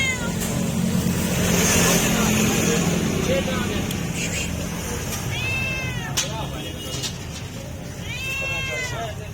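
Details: Stray cat, hungry and meowing for food, gives two arched, falling meows late on after a stretch of background chatter, voices and low rumbling noise.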